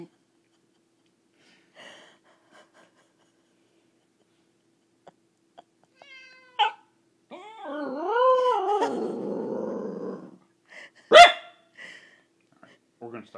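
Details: A corgi howls at 1:30 in the morning in reaction to a cat piano app on an iPhone, in wavering, rising and falling notes that break into a rough, hoarse tail.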